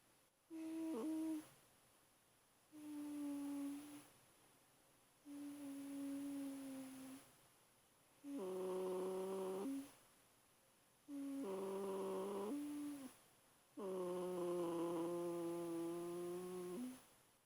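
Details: An 8-week-old German Shepherd puppy makes droning, hum-like snores while asleep, each about two seconds long, in a steady series. Recorded 18 February 2012.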